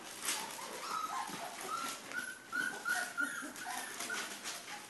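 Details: Pyrenean Mastiff puppies, three and a half weeks old, giving thin high whimpering squeals, short rising and falling notes repeated over several seconds, with faint rustling and background noise.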